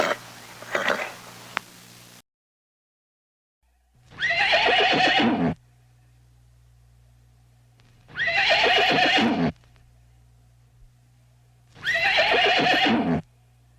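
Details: Horse neighing three times at roughly four-second intervals, each a loud, harsh, quavering whinny about a second and a half long, preceded by a short faint snort and low steady background hum.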